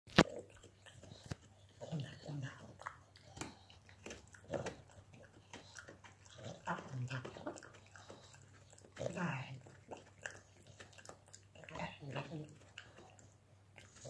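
A pug snorts and grunts while chewing, with crunchy clicks between its snuffles.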